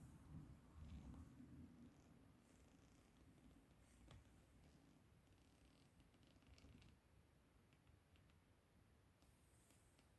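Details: Ragamuffin cat indoors playing and fighting with a hair tie; low, rumbling purr-like pulsing throughout, strongest in the first few seconds, with soft rustling and scratching of play.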